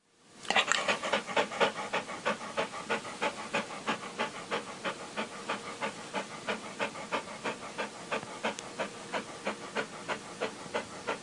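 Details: Dog panting rapidly and steadily, about three breathy huffs per second, each a short airy puff, continuing evenly throughout and fading slightly in strength.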